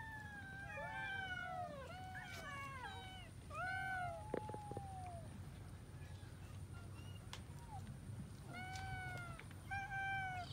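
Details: Cats eating rice with fish call out in bursts of overlapping meows, rising then falling, several voices at once, quieter gaps between, with a low background hum and occasional clicks.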